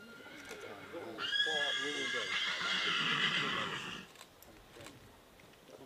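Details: A prize-winning colt foal at a 2013 foal branding event whinnies once: a loud, shrill, quavering call lasting about three seconds, with an announcer speaking and faint hoof clops throughout.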